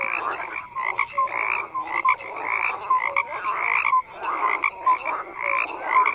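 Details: Frogs croaking in chorus, giving loud rasping croaks in bursts with clear short peeps between them. The calling surges in waves roughly every second, with a brief lull near the four-second mark.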